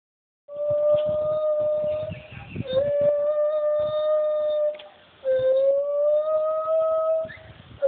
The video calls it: White handed gibbons singing.